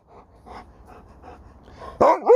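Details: Sherpa the Alaskan Malamute pants softly in regular puffs, then bursts into a short loud talking yowl that bends down and back up, interrupting his owner mid-sentence.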